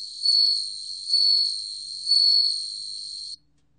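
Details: Bell cricket, 2020 recording from the National Institute of Biological Resources: a continuous high, clear trill with three evenly spaced louder bell-like swells roughly a second apart, ending sharply in silence.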